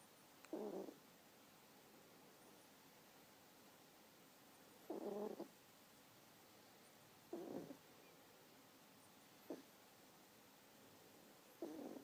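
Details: Bowie, a sleeping kitten three months old, snores in gentle husky breaths; five short raspy bursts spaced two to four seconds apart over near silence.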